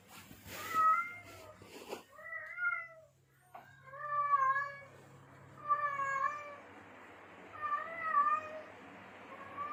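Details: Male domestic cat in heat calling to attract females: a series of drawn-out, wavering meows with rich harmonics, each about a second long and repeated every couple of seconds, with a scuffling noise at the start.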